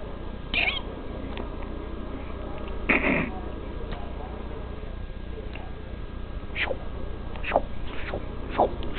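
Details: A pet cat gives a short meow near the start and another at about three seconds, then several brief downward-sliding calls later, over a steady low background hum.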